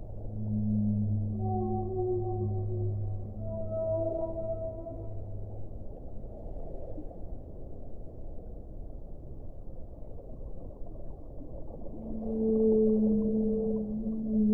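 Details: Whale song: low, drawn-out tonal moans with stacked harmonics in the opening seconds, then a quieter stretch of hissing underwater noise, and a fresh long moan swelling near the end.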